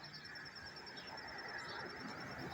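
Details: A cricket chirps steadily, non-stop, up close in a high, thin pulsing trill over soft background noise; Tarrytown, New York, 27 September 2023.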